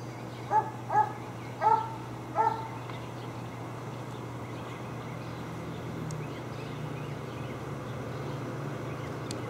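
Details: Four quick barks from tied dogs near a dump on Wright Street open the recording, followed by several seconds of steady low hum and background noise with no further barking.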